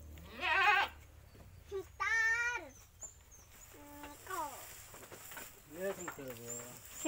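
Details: Goats kept by a grandmother in a village, calling while being fed; several short wavering bleats, one long strained bleat early, then softer bleats amid quiet talk.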